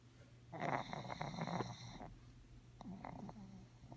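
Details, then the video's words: Sleeping pug snoring: a long rattling snore from about half a second to two seconds, then a softer, shorter snort-like breath near three seconds, over a steady low hum. "Pug snoring"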